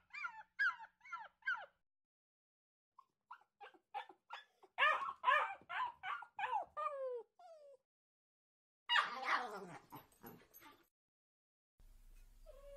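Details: Two dogs barking at each other: quick high yips in bursts, then a denser run of overlapping barks, a harsh noisy outburst, and a low hum at the end.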